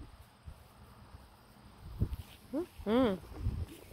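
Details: A German Shepherd gives a short double bark, a brief yelp followed by a loud, deep woof, which scares a nearby young Pocket Beagle.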